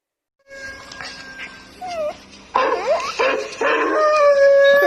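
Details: Young Bangkaew mixed-breed dog being taught to howl: after a quiet start, short wavering, sliding howls rise and fall, growing louder and longer toward the end, with a steady tone underneath.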